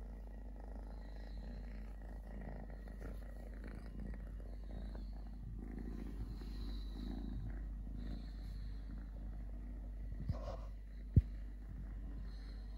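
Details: A softer, even purr from Totoshka, a male stray kitten with three legs, pulsing low and unbroken; faint high tones sound in the background and a single loud knock near the end.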